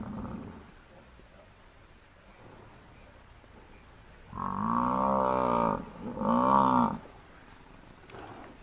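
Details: Massive African buffalo bull hunted by four male lions in the wild, calling in distress as the herd arrives: after several quiet seconds, two loud, wavering, harmonic bellows, the first longer, the second shorter and rising then falling.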